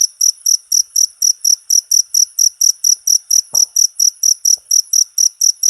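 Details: Short cricket recording intended as tutor material for all cage songbirds: bright, high trilled chirps repeated about twice a second at an even pace, with a faint soft knock midway.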